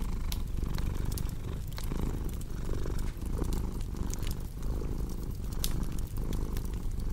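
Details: Low, rhythmic purring of a domestic cat, breath-by-breath pulses under a crackling fireplace whose wood snaps and pops at irregular moments, one brief pause in the rumble near the middle.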